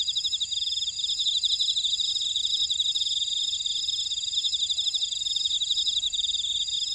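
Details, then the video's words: Insects in a buckwheat field at Orado, Jeju City, Jeju, South Korea, in a dense, continuous chorus of high, rapid pulsing trills with several layered bands of chirping and no other clear sounds. "제주 메밀밭의 풀벌레 소리"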